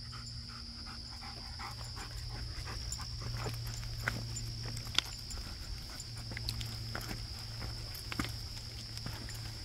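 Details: German Shepherd sport dog panting while hiking outdoors, rhythmic breathy bursts repeating steadily over footsteps, with a constant high insect-like whine and a low hum in the background.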